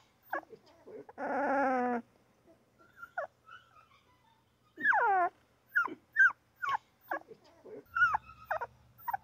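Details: Crying newborn puppy gives short squeaks, a sustained harmonic wail, then a bending whimper followed by quick high-pitched yaps, with a low rumble near the end.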